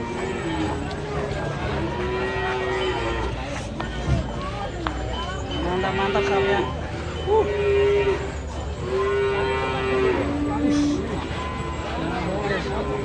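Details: Cattle at a cattle contest in Kediri, Indonesia, where the smallest contestant brings a huge cow: several long, flat, steady moos of about a second each, repeated through the clip over crowd chatter, a loudspeaker announcer and background music.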